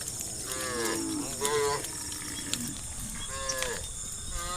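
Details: Roaming herd of cows in the countryside calling to their friends: three or four fairly soft moos, partly overlapping, amid a steady high-pitched hiss and faint clicks.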